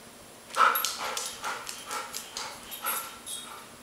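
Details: Airedale Terriers at play as Max picks on Gabi: a steady series of short, clipped barks roughly every half second after a brief quiet start.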